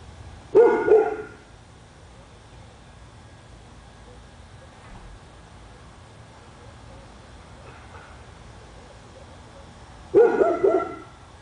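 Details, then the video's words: Dog in Royse City, Texas that barks for hours a day: one sharp double bark, nearly ten seconds of quiet background, then another loud bark burst. "Our dog barking"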